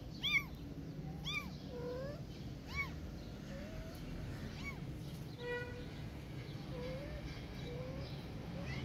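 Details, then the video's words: Orphan kitten meowing and a protective cat responding: a run of high, arched, harmonic meows repeated roughly every second, then lower, shorter answering mews, over a steady low background hum. "Protective Cat Listening Meowing Of Orphan Kitten And Responding Immediately"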